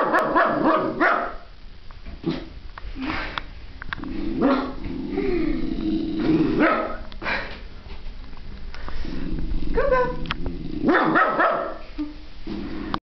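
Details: Pet dog at a veterinary office barking at a painting of a dog on the wall: loud, rough barks in irregular bursts, mixed with low growls and higher yipping cries, continuing throughout.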